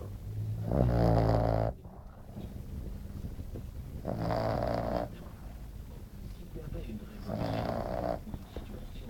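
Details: Glamy, a French Bulldog, snores during a nap; three loud throaty rasping breaths roughly every three seconds, the first strongest, softer breathing noise in between.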